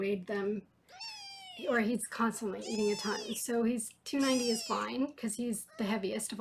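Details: Foster kittens in Los Angeles during a weighing session; several drawn-out, rising-then-falling high meows repeat through the clip, overlapped by a woman talking steadily indoors.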